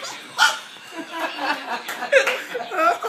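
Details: A Chihuahua, reacting to air blown into its face, gives half-effort, squawky, clucking barks in an uneven run, about one or two a second, with people laughing and talking over it.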